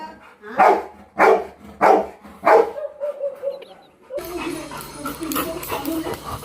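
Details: Pet Labrador called Golden, a playful dog that is full of mischief all day, gives four short sharp barks roughly every 0.6 seconds, then a faint thin whine before a burst of louder household background noise.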